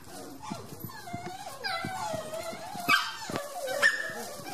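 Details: Eight-week-old Dandie Dinmont Terrier puppies of the 2014 litter getting noisy, giving wavering whimpers and whines that rise and fall, with short yelps and human voices in the background.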